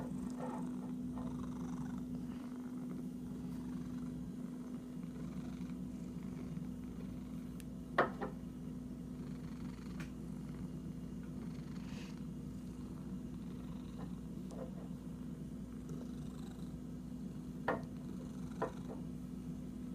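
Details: An itchy domestic cat purring in a steady, continuous low rumble, with a few sharp clicks and scratching taps breaking through near the middle and the end.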